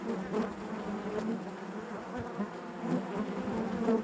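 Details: Continuous buzzing of honey bees within their hive: a low, throbbing hum with gentle swells and bright flickers of individual bees moving past.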